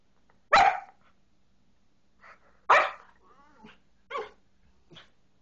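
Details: Leo, an Australian Shepherd puppy, barks indoors: two loud, sharp yaps about two seconds apart, each followed by softer, shorter yips and a brief whiny note, with quiet room hum between.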